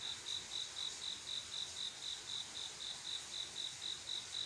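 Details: Summer-night mating call of a male cricket: crisp, high-pitched chirps repeated regularly about four times a second, with a faint shrill insect hum behind.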